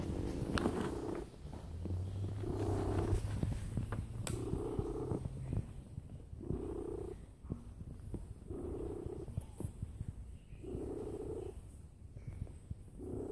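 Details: Domestic cat lying down and purring loudly indoors: a steady low rumbling purr swelling into stronger bursts roughly every two seconds with each breath, alongside a faint low hum and a few clicks.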